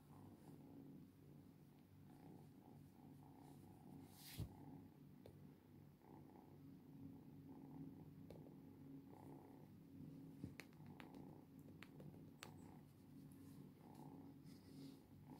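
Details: Long stretch of a cat's rumbling purr, even and unbroken, rising and falling with slow breaths, with occasional sharp clicks and taps close by.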